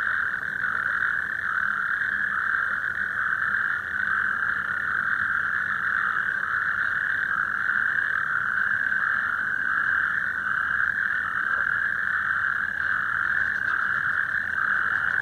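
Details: A chorus of natterjack toads (Epidalea calamita) calling at the Omsteg in the Azewijnse Broek, Netherlands, giving loud, continuous rattling trills that merge into one unbroken churr.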